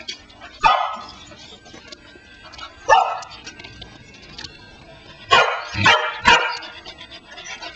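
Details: A Pembroke Welsh Corgi, after listening to her owner's voice on a cell phone placed on the floor, gives short, sharp barks at it, widely spaced at first, then three in quick succession.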